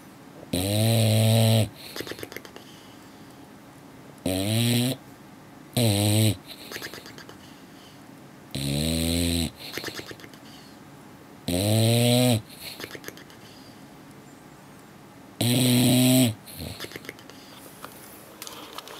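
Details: A male English Bulldog snores in loud, rasping bursts after a long day at the beach, each breath fluttering through loose lips.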